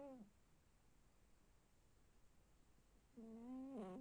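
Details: Domestic cat snoring indoors: faint, tonal, slightly wavering notes about half a second long. One falls at the start of the clip, and another rises and dips near the end, about three seconds later, over a quiet background hiss.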